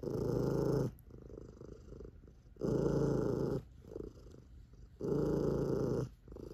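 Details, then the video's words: A sleepy, chubby tabby cat purrs with a deep, booming, engine-like rumble that swells and fades with each breath. "Booming Purring Sleepy Chubby Tabby Cat"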